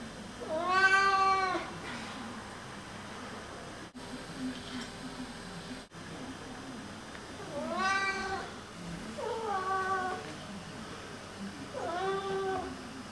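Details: One of two male Oriental cats 'talks' with loud, drawn-out meows in a rising then falling, nasal tone.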